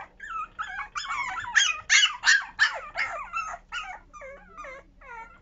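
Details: Young puppies at the start of toilet training, a loud burst of high squealing yelps and whines with bending pitch, packed closely together, then easing into softer, separate whimpers.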